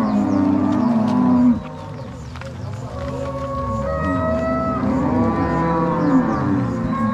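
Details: Crossbred Angus-Nelore cows driven to pasture from the corral at Fazenda São Matheus, Ortigueira, Paraná, March 2022; loud low moo at first, then quieter overlapping bellows and a few higher drawn calls.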